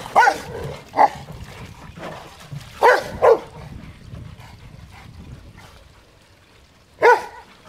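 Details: Rottweilers playing in water bark sporadically: two barks near the start, a quick pair around three seconds, then a long lull of water sounds before one last bark.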